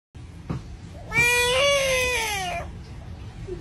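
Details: A frog from a wetland jungle, found in countries such as Malaysia, gives a defensive scream like a crying baby: one long harmonic wail of about one and a half seconds, slightly rising then falling, after two faint taps.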